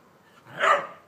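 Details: Whippet barking while playing chase with another whippet in a garden; a single short, sharp bark rising and fading within about half a second.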